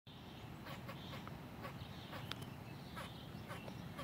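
A squirrel gives short, harsh barking chucks at irregular intervals over a steady low rumble.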